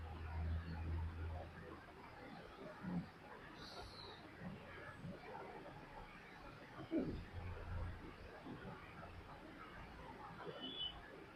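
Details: A pet dog snoring while asleep: low, rumbling breaths in two bursts about six seconds apart, the first lasting over a second, over a quiet steady background hiss.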